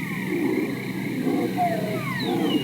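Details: Seals calling underwater, sounding quite different from their calls out of water, with long sliding whistles and descending sweeps over a low rumbling background.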